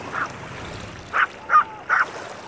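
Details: Maltese dog Owol-i lets out one faint yap, then after a pause three louder, quick, high barks about half a second apart, over constant low noise.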